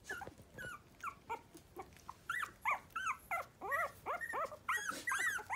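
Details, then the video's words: Miniature Pinscher puppies at three weeks, just becoming alert and finding their voices, give sharp yips that turn into loud, arching whines. The whines swoop up and down and come in quick, uneven bursts, growing stronger toward the end. "Miniature pinscher puppies 3 weeks old we are finding our voices"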